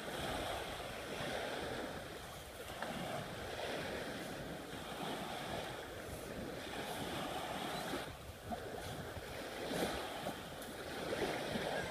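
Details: Steady wind and surf noise with no animal sound heard.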